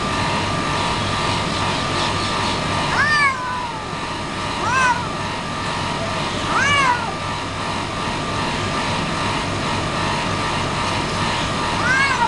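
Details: Pet cat giving several short meows with rising-then-falling pitch, about five calls spaced a second or more apart, over a steady broadband background hum.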